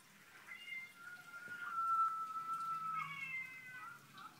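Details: Domestic cat, one of some drama queen cats, giving a long, level, drawn-out meow, flanked by shorter, higher mewing notes, with quiet background.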